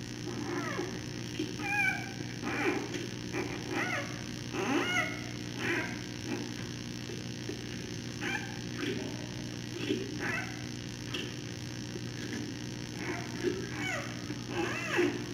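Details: Captive giant panda cub around 9:30 pm, just nursed while its mother cleans its face, then throwing a small tantrum in her arms: repeated short squealing, wavering calls, one roughly every second, over a steady low hum.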